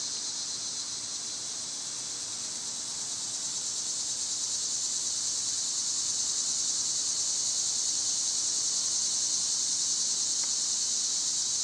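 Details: In summer heat, cicadas keep up an intense, high, hissing buzz that swells gradually louder over the stretch and never pauses; one faint brief chirp appears late.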